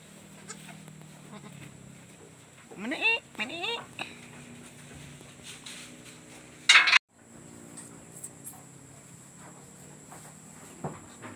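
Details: Newborn goat kid bleating: a couple of short wavering bleats near three seconds, then another, with people talking quietly, rustling and a sharp clatter near seven seconds.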